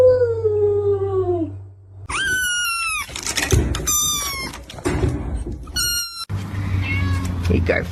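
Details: Domestic cat making a falling, whining meow, then a run of sharp, high-pitched squealing cries in short bursts, mixed with scuffling noises and a low background hum.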